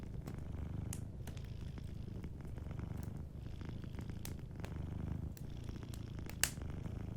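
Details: A sleeping cat purrs gently and continuously, its deep rhythmic rumble dominating, while faint wood-fire crackles tick in the background.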